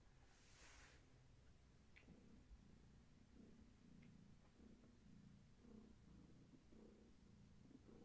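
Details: Gaia, a pregnant long-haired tabby cat carrying many kittens, purrs softly indoors while her kittens move inside her: a low, steady rumbling purr with faint rhythmic pulses, a brief hiss-like rustle near the start and no voices.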